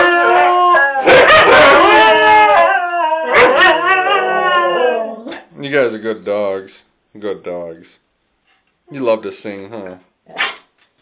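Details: Several Siberian huskies singing together: long, wavering, overlapping howls rising and falling for the first seven seconds, then shorter yodelling howl bursts broken by brief pauses, recorded close by on a phone.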